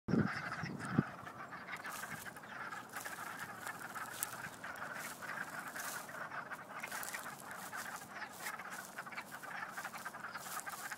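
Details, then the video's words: A dense chorus of noisy frogs at Doyle Conservation Center gives overlapping, clucking chirps that blend into a continuous, duck-like chatter. "Chirping Frogs"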